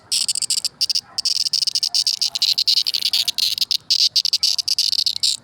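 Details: Cricket, called kuliglig, giving a loud, high, buzzy trill broken into rapid pulsed bursts with brief silent gaps, continuing steadily throughout with no other clear sounds.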